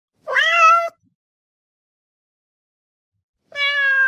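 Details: Domestic cat giving two separate meows: a loud, slightly rising first call lasting over half a second, then a long pause of silence before a second, steadier meow begins near the end.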